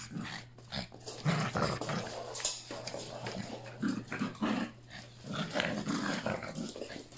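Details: Three Yorkshire Terrier puppies play together indoors with Pepper and Mommy, their last play session before one leaves; rough low growls and short yips come in quick bursts over a steady electrical hum.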